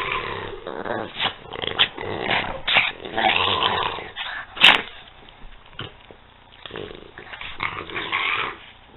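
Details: Growling play between the dogs Peanut and Daisy: continuous throaty, raspy grumbling swells and fades over several seconds, broken by one sharp yip midway.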